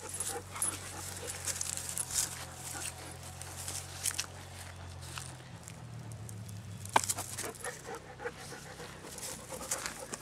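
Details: Six-month-old Dobermann puppy named Merlin, resting between ball throws in a yard being cleared of trees, breathes in steady, rapid, airy huffs throughout, with low outdoor hum beneath.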